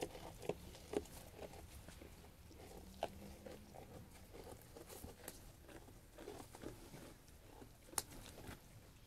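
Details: Sheep munching food with soft, fairly regular crunching clicks, about two per second, and a few sharper ticks early on and near the eight-second mark.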